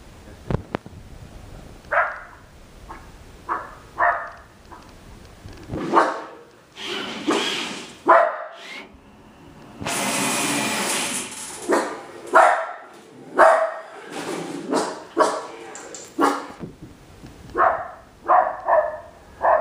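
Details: West Highland White Terrier barking at an R2 robot; sharp barks come in short bursts with gaps, joined by a steady hiss mid-clip and some mixed noise.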